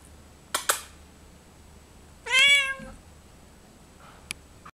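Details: A female Bengal cat gives a single clear, drawn-out meow in a quiet room while her owner talks with her about her new bed.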